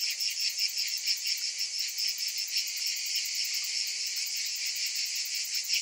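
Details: Cicadas in summer: a dense, high, shimmering buzz that never stops, pulsing slightly in loudness several times a second, with many insects merging into one steady wall of sound.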